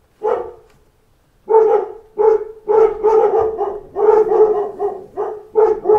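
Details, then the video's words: Dogs in a pack react to knocks at the door with loud repeated barks: one opening bark, a short gap, then steady bursts about every half second, voices overlapping. "Wake Up to a Pack of Dogs Barking at Knocks at the Door"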